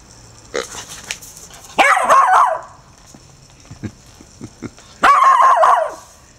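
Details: Murphy, a four-month-old female Irish Terrier puppy, reacts to a pink, snorting rubber toy pig: scattered sharp yips, then two longer harsh, noisy bursts about three seconds apart, in a quiet room.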